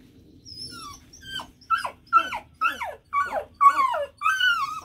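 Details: Bluetick Coonhound puppy out for a pee breaks into howling: a run of about eight loud wavering yelps, each starting high and sliding down, about two per second, growing longer and more drawn out toward the end.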